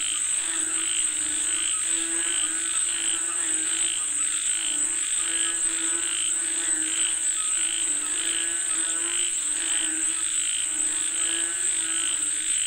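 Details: Many frogs calling for rain, raspy croaks repeated in uneven bursts about every one to two seconds, layered over lower throaty notes and a steady shrill hum.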